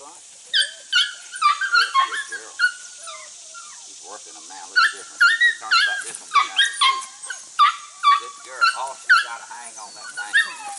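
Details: Border Collie pups aged six to eight weeks, working goats for the first time: bursts of sharp, high-pitched yips come in quick irregular clusters, pausing briefly midway, while a man speaks encouragingly in the background.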